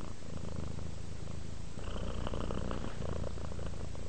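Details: A relaxed cat purring, a low rumbling throb pulsing several times per second and steady throughout, with faint brighter rustles in the middle.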